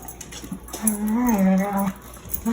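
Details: Dog making hyena-like noises while fighting another dog: one drawn-out, wavering tonal whine lasting about a second, rising slightly in the middle then falling, with a short yelp before and after.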